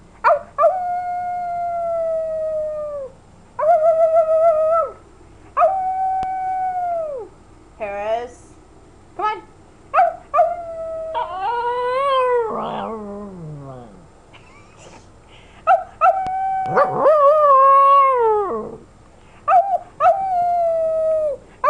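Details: Female puppy of almost 11 months indoors, howling as she tries to mimic her owner's howl: long sustained tonal howls with strong harmonics, some wavering and sliding, repeated with short gaps, mixed with a person's howling and voice.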